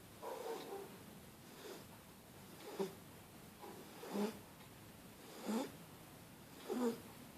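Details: Sleeping on a blanket, Starbucks the Shar Pei puppy gives raspy, nasal snores, each a short wheezy burst about every one and a half seconds, steady and quiet between breaths.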